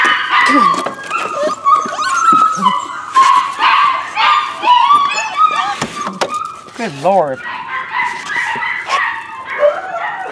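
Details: Several rescue puppies, possibly Corgi Airedale mixes, whine and yip in high, wavering, overlapping cries while a person talks now and then; Corgi Airedale mix puppy.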